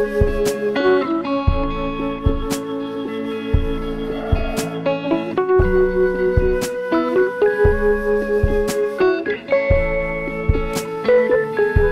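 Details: Guitar music with steady harmonic chords and plucked notes; no animal sound is heard.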